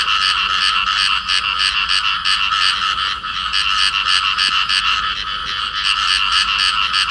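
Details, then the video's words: Field frogs paired in amplexus giving rasping calls: fast, repetitive croaks around three per second, loud and grating, with a short softer moment midway before the steady pulsing continues. "cặp nhái đồng ôm nhau kêu"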